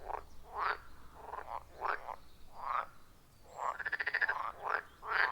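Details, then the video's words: Frogs calling around a wild forest pond, recorded on an iPhone 14 Pro with a Shure MV88+: short rising croaks repeat in quick bursts, one overlapping pulsed trill in the middle, several callers alternating. "30 Minutes of Frog Sounds at a Forest Pond"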